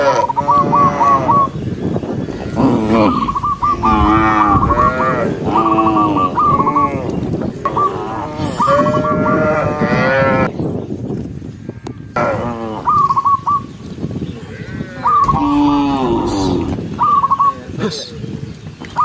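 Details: Herd of tame cows moving calmly together along a lush forest trail, mooing almost continuously, with overlapping drawn-out calls and many short repeated higher notes filling the whole stretch.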